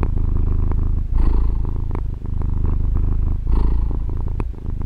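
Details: Purring of a female pet cat captured on a Tascam DR-40 recorder: a steady deep vibrating rumble, swelling into two louder breathy bursts roughly two and a half seconds apart.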